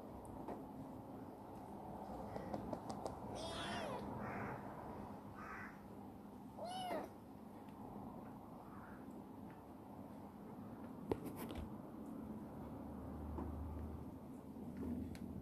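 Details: Chibikuro, a rescued black female stray cat who turned affectionate, eats heartily and runs around the warehouse where she lives. She gives several short, rising-and-falling meows in a cluster mid-recording over a steady low hum, then a person softly calls her over.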